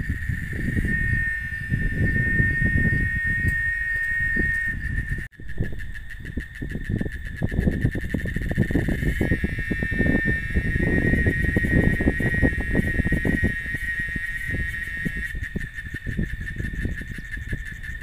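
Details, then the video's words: Cicada, known locally as chicharra, singing in Oaxaca: a steady high buzzing drone held through the clip, briefly cut off near five seconds, over heavy low-pitched rumble like traffic or wind. "Canto de la Chicharra Oaxaca"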